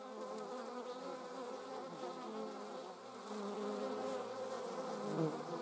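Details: German wasps in flight while carrying prey: a continuous droning buzz with wavering tones that rises slightly in loudness during the second half, with no other clear sounds.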